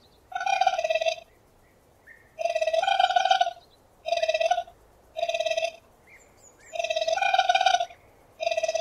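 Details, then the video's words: Raccoon trilling in vibrating, harmonic-rich bursts of about a second each, spaced by roughly one-second silences, with faint soft squeaks in between. "Gerçek Rakun Sesleri l Yüksek Kalite l Sevimli Rakun Sesi Deneyimi!"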